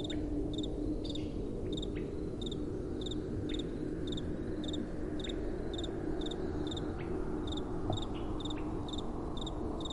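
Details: Steady high-pitched cricket chirps at night, repeated in even rhythm roughly twice a second, set against gentle wind and a low droning background.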